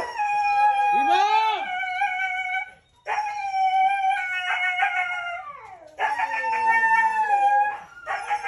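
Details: Red-brown Siberian Husky filmed in a breeding setting, giving long drawn-out howls, one rising and falling sharply, others sustained and wavering, separated by short pauses of about a second.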